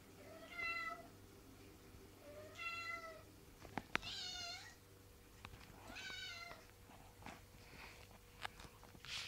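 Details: Tove Mausson, a female house cat desperate to go out into the garden on patrol, meowing for her people's attention indoors; four drawn-out, harmonic meows about two seconds apart, one wavering, with scattered clicks and a steady low hum.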